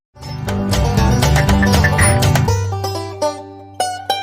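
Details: Bright plucked-string music, mandolin- or banjo-like, with fast strummed notes over a steady bass, then thinning to sparse picked notes near the end; no animal voices heard.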